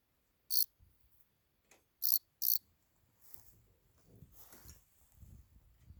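A cricket gives three short, shrill, very high chirps, two of them in quick succession.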